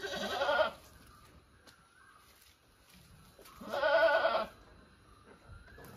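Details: Two loud vibrating goat bleats about three seconds apart, each lasting under a second, with quiet background between them.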